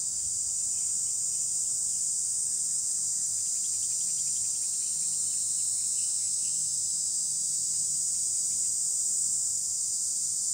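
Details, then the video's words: A cicada singing on a tree gives a steady, high-pitched buzzing drone that holds without a break. "เสียงจักจั่นร้องบนต้นไม้ ชมธรรมชาติและบรรยากาศ"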